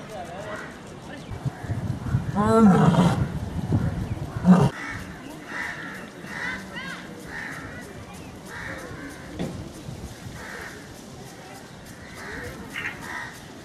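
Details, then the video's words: A lion at a zoo park in Hyderabad lets out a deep, rumbling roar, with people talking in the background. "lion roaring"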